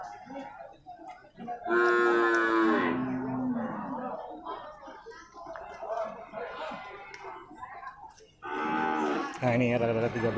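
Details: Young male water buffalo calves at a livestock market in Purwakarta, Indonesia, give two loud, drawn-out, strongly harmonic bellowing calls, one early and one late, with murmured speech and market chatter filling the gap between them.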